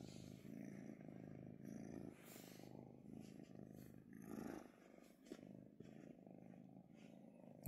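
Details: Kitten, a female pet, purring steadily while being petted and relaxing; low continuous rumble pulsing through the whole stretch, with brief soft handling noises.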